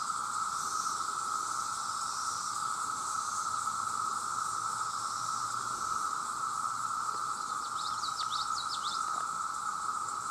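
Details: Millions of male cicadas fill the air with their very loud mating drone, steady and unbroken at one pitch, joined near the end by a short burst of high bird chirps.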